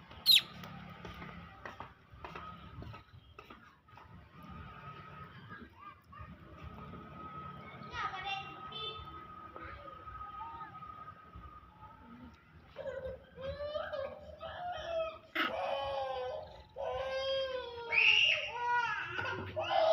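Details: Pet monkeys, big ones greedily snatching from and hitting small ones; after a quieter stretch with a steady faint tone, loud harmonic screams break out from the thirteenth second onward, wavering and rising in repeated bursts.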